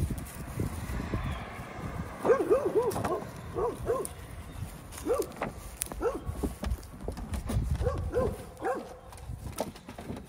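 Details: Great Pyrenees puppies, 12 weeks old, three pups raised on a homestead during their last week before going to new homes; short, high, arched yips and whines come in quick bursts, with rustling and handling noise around them.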